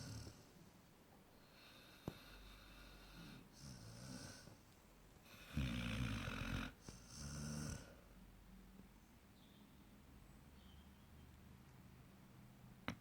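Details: Sleeping Basset Hound Douglas, eight months old, snores in a quiet room: faint rumbling breaths early on, then two loud, gravelly, snorting snores around the middle, fading back to soft, steady breathing.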